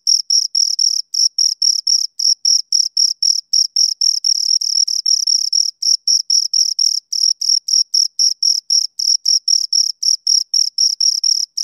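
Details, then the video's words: Pair of crickets stridulating near the recorder: steady high, shrill chirps repeated almost four times a second in an unbroken rhythmic train, clean background without other noise. "Two Crickets Chirp Sounds for Two Hours Right on Your Ears"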